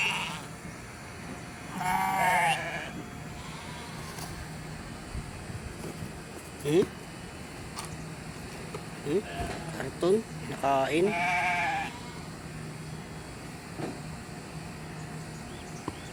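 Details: Hungry sheep in a yard at Candelaria with too little grass, eating cardboard; two wavering, nasal bleats near two and eleven seconds, with a man talking, clapping and background hum.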